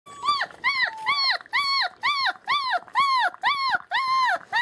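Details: German Shepherd puppies born 28 January 2015, recorded 21 February 2015 at a family-run breeding kennel on rural land in Mayo, Florida; high, arched, whining cries rising and falling, about nine in a row at roughly two per second.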